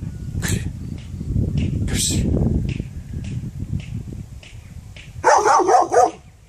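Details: Barking dog heard over steady low rumbling noise, with a few scattered sharp sounds before a loud burst of rapid, closely spaced barks near the end.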